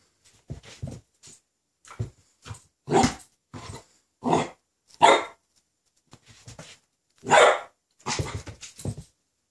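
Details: Regan, a ten-week-old female Rhodesian Ridgeback puppy indoors, barks at her own reflection in a mirror for the first time: a string of short, sharp, separate barks spaced irregularly about a second apart, some with a growly edge.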